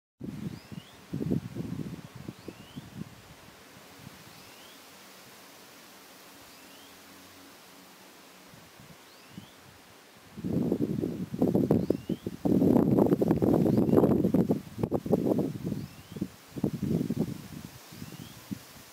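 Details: Honey bees of a small nucleus hive, a spring swarm, agitated for several days and flying back and forth over the landing board; low droning buzz in bursts, quiet for a stretch, then a dense loud surge of buzzing in the second half.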